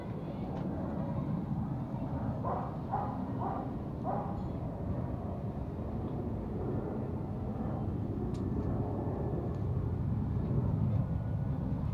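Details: Steady low traffic rumble in Kathmandu, Nepal, with faint distant voices and no animal sound heard.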